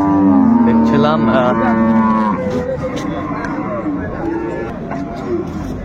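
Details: Improved-breed dairy cow at Ambari cattle market, Dinajpur, 10/2/25: one low, sustained moo of about two seconds opens, then fades into continuous crowd talk and background market noise.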